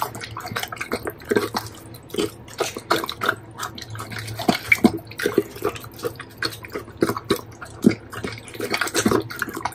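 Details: Pet Doberman eating a pile of bacon, recorded close up: irregular wet smacking and crunching chews arriving in quick bursts, several per second, over a faint steady low hum.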